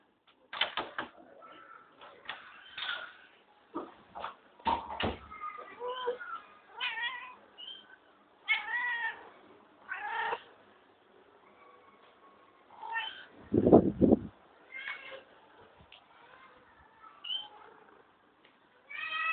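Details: Pet cat kept at home, meowing repeatedly in short rising and falling calls with pauses between, plus one low thud partway through.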